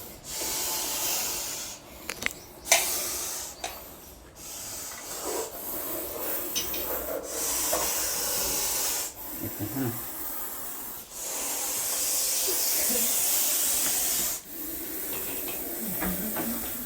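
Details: Russell's viper (kamaliyo) found inside a house in old Dhodiyawad, Vyara, Tapi district, caught and released by an animal rescue team; long breathy broadband hisses lasting several seconds with short pauses, over handling clatter and people talking in Gujarati.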